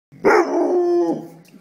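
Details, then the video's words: A puppy 'talking' to its owner, comforting him after his wisdom teeth were pulled: one drawn-out, whiny, tonal howl-like vocalization of about one second, steady in pitch and fading at the end. "the talking Puppy"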